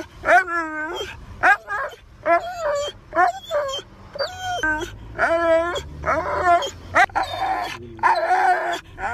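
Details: Siberian Husky giving a run of wavering, talkative yowls, each burst under a second long with a bending, rich tone, about ten in quick succession separated by short pauses; no other clear sounds.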